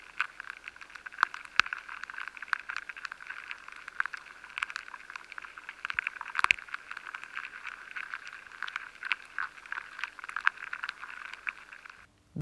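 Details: Weevil larvae chewing inside grains of stored soft wheat, a steady scatter of tiny dry clicks and scraping ticks at an uneven rhythm over a faint continuous hiss, with a few sharper cracks, in a high-sensitivity recording.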